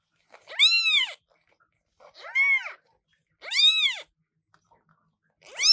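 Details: New British Shorthair kittens calling very loudly: four shrill, arched meows spaced about a second and a half apart, each rising then dropping in pitch, the last cut off.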